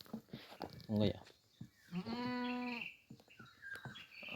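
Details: Domestic goats about to be given fodder before being let out; a single steady, level bleat lasting under a second, surrounded by people talking and laughing and scattered knocks.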